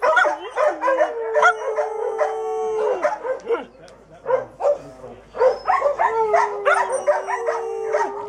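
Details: Kelpie howling: drawn-out tonal howls that slide downward, mixed with many short, rapid yips and yelps that keep breaking in and out, forming a busy, wavering chorus of calls.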